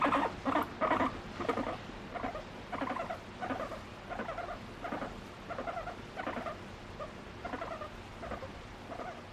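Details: Guinea pig kept as a pet, seeking affection from its owner and expressing emotions, makes short repeated squeaky notes in uneven bursts, louder at first, then softer and spaced, with faint background hum.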